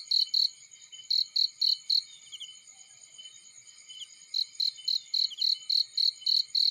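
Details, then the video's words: Cricket in a field giving bursts of shrill, high chirps in quick pulses, pausing silent for about two seconds before resuming a longer run of evenly spaced chirps. "Warm Relaxing Fireplace In Field || Burning with Cricket Sounds"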